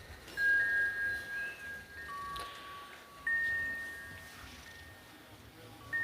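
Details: Bright chime notes ring out one after another over a quiet background, with no animal voice present.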